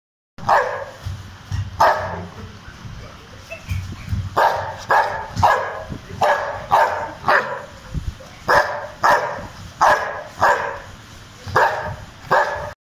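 A Rottweiler barks in deep, loud bursts, repeated roughly every second.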